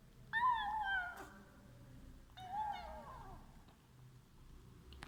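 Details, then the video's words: Domestic cat giving funny meows while eating: two drawn-out, wavering meows about two seconds apart, the first loud and sliding downward, the second softer and falling, followed by quiet chewing and a faint low room hum. "funny meow sound when eating"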